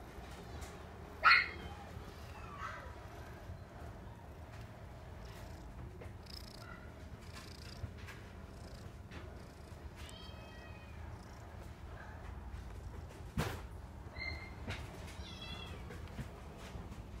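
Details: Female Scottish Fold kitten, black and white, born 26 August 2018, giving a soft, steady low purr throughout, with a few brief high meows and squeaks breaking in near the start and middle.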